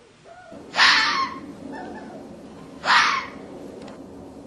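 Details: Fox calling in the mating season, when foxes call out to each other: two harsh, breathy screams about two seconds apart, each lasting under half a second, over quiet background hiss.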